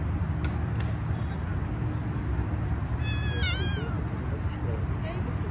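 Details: A tiny, soft stray cat being petted on the street gives one short wavering meow midway, a rising-then-falling tone, over a constant loud low rumble of traffic-like noise, with a person speaking quietly nearby.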